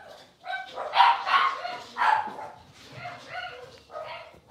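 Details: Five blenheim Cavalier King Charles Spaniel puppies, two girls and three boys born at New Year's, in their puppy pen after moving to a bigger pen. High yipping barks come in uneven bursts of two or three, with short squeaky whines between.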